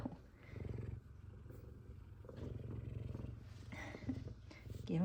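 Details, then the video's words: F2 Savannah cat, one of two cats greeting their returning owner, purring in low rumbling bursts about a second long with brief pauses. A faint mewing note comes at the very end. "Cute Excited Meows And Purrs!"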